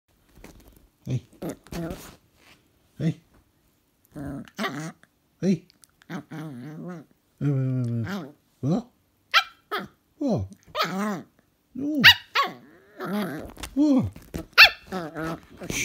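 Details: West Highland White Terrier puppy answering back indoors: short yappy barks and whiny growling yelps in uneven bursts with gaps of silence, some drawn-out rising and falling whines, in a small room.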